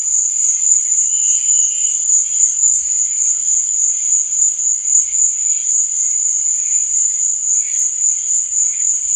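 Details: A nighttime cricket sound: an unbroken high-pitched vibrating trill, steady in loudness, with faint scattered lower chirping behind it.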